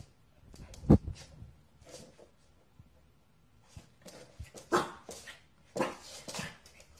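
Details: A Corgi dog indoors gives a few sharp, loud barks spaced apart, one near the start and a cluster toward the end, with quieter rustling and shuffling between them.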